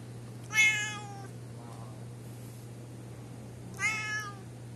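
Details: An orange cat living at an alley snack bar, its mouth looking odd, meows twice: a loud bright cry, a faint softer one, then another strong meow three seconds later, above a constant low electrical hum.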